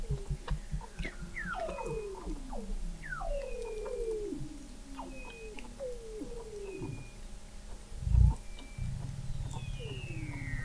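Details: Weddell seals singing beneath the sea ice of McMurdo Sound, Antarctica, November 2017, recorded by a fixed underwater observatory: a stream of descending whistled sweeps, several falling together, over low clicks, ending with a steady low rumble.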